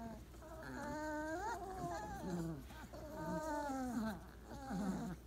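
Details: Weimaraner puppies, 28 days old, piled together napping after breakfast; soft, wavering whimpers and whines with rising and falling tonal sweeps, a few drawn-out cries overlapping, over a low steady background hum.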